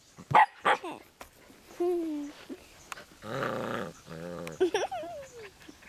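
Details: Scottish Terrier puppy at play in a garden: a few sharp yips, then a rough, rumbling play growl lasting about a second, another growl, and more yelps, with a human voice briefly heard.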